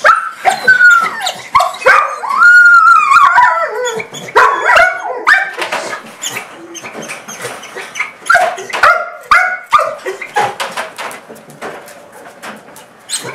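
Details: An excited male Portuguese Water Dog greets his owner just arriving home with high, squeaky whines and yips like a squeaky toy, a mix of bark, whine and panting all at once.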